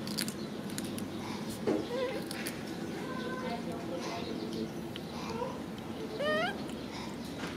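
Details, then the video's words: Macaque monkey crying while hugging his favourite food package: a brief squeaky tonal cry near 1.7 seconds, then a louder rising, harmonic whine near 6.3 seconds, over steady background hiss and scattered clicks. "Pity monkey cries, hugs his favorite food package"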